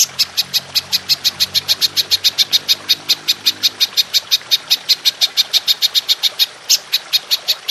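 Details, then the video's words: Belalang emas, the golden grasshopper, recorded as masteran for songbird training in 'nembak panjang' style: a steady, unbroken series of crisp, high clicking pulses, several per second, keeping an even rhythm throughout. "Belalang Emas Nembak Panjang"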